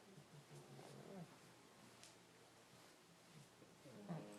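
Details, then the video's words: Pugs, several sleeping together in a pile, snoring and sniffling: soft, low rumbling snores in rhythmic bursts, with a stronger snort near the end and quiet pauses between. "Snoring Pile of Pugs"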